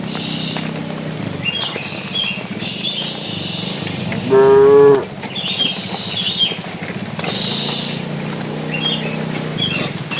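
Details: Calling the cows, a bull in a tame herd walking to the pen gives one short, loud, level moo midway, surrounded by soft lowing, rustling and small high-pitched bird calls.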